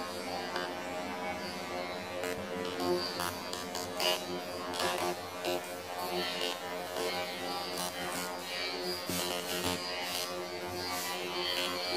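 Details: Music with a buzzing, sitar-like instrument and faint speech fills the whole recording, with no animal sound.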